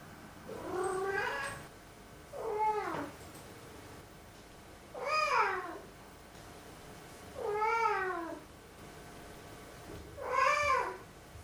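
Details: Grumbling black cat complaining indoors with five meows repeated roughly every two and a half seconds, each a short rising-and-falling whine with strong overtones, nothing else audible.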